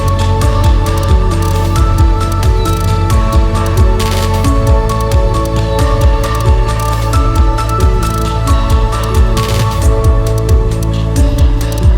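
Steady background music with a deep bass pulse and sustained tones fills the whole stretch, with no animal voices.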